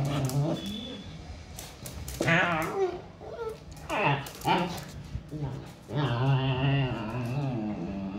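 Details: Siberian Husky mother disciplining her pups, giving low, drawn-out moans and short wavering whines in several bursts, with human voices talking in between in a small room.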